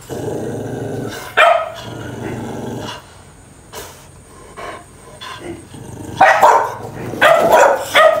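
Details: Dogs in a fight growl low and long, then burst into a cluster of loud overlapping barks.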